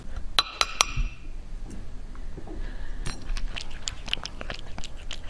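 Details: Cat eating indoors, recorded for ASMR: three bright clinks against a bowl open the clip, then a run of small crisp crunching and chewing clicks continues to the end.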